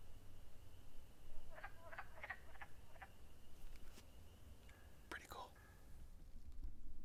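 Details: A single wood frog calling from a vernal pool gives short, hoarse, duck-like clucks in scattered bursts over a low rumble, advertising itself near its eggs.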